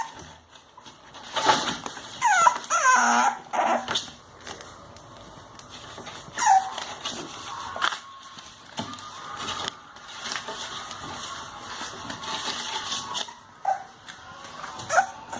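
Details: Two English Bulldog puppies, 32 days old, giving short high whimpers and yips in bursts amid handling noises, with a woman speaking Spanish softly between the cries.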